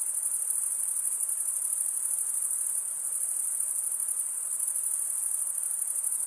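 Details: A shrill wall of cricket stridulation, rapid fine pulses merging into one unbroken high-pitched ring, steady from start to finish over a low hiss.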